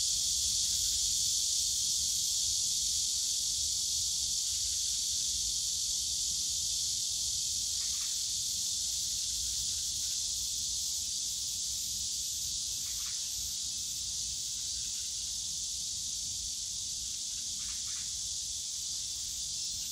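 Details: Cicadas droning through a summer day in Yongsan Family Park's bamboo grove; the steady high buzzing wall of sound barely wavers, a few faint short chirps surface, and a low rumble of park noise lies underneath.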